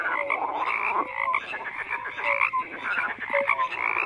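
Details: Many frogs croaking together in a dense chorus, overlapping pulsed croaks and short tonal notes layered continuously, with no other sounds standing out.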